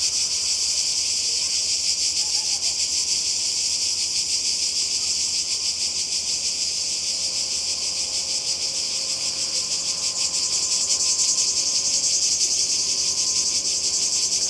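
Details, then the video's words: Cicadas calling by the sea in Croatia during a summer 2020 holiday: a dense, unbroken high-pitched buzzing that holds steady in loudness throughout, with a faint pulsing texture and no other clear sounds. "Kroatien Zikaden und Meer"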